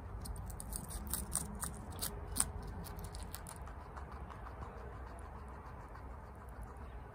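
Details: Pet guinea pig Chia, a female, eating bok choy rapidly at home; a dense run of crisp, crackling bites for the first three seconds, then softer, sparser crunches over a low background rumble.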